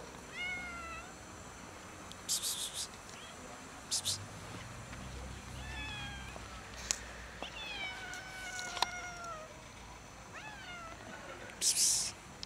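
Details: A hungry cat called Loaf meows while hiding before being fed. It gives a run of short, clear meows, several bending downward, spread across the stretch. Sharp clicking and tapping bursts sound in between.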